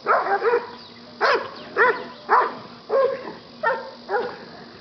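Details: Buddy, a yellow Labrador retriever rescue dog up for adoption, barking during play fighting: about eight short, harmonic barks, some doubled, coming in uneven bursts roughly every half second to second over a low steady hum.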